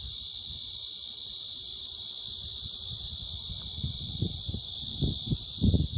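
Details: Very loud insects overwhelming everything else, holding a continuous piercing high whine throughout, while low thuds and bumps grow louder toward the end.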